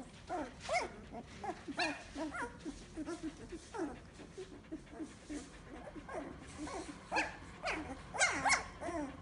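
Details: Fifteen-day-old Samoyed puppies, whose eyes opened a few days ago and who are just starting to walk around, whimper and squeak in a busy, overlapping chorus of high, wavering cries.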